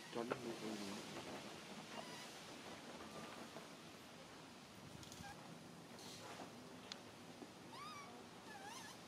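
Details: Baby monkey Mila cries while her mother Malika weans her and she still relies on milk: faint high rising-falling squeals and chirps, clustered near the end, over steady rustling background noise with a few earlier harmonic wails.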